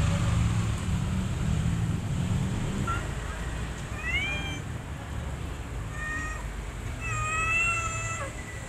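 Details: Mother cat with her kittens: thin, high, rising meows, one near four seconds and then several short ones from six to eight seconds, over a steady low rumbling background.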